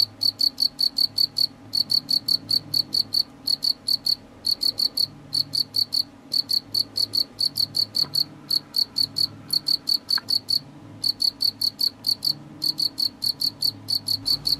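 A house cricket gives a steady run of shrill, high-pitched chirps, each a quick burst of pulses repeated several times a second. A soft low hum sits quietly underneath throughout.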